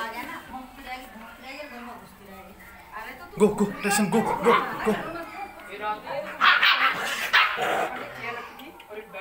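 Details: Playful fight between two small Rottweiler puppies: after a quieter start, rough growling and high yelping swell in uneven bursts through the second half, over nearby human voices.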